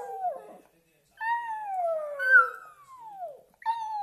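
A Shih Tzu howls in long, tuneful notes that slide slowly downward.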